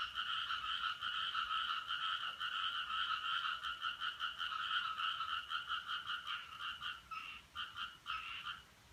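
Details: Suspected frogs heard at 5:26 on 7 July 2017, a strange noise: rapid pulsed rasping in two stacked bands, around 170 pulses per minute, steady at first, then breaking into short separate bursts near the end.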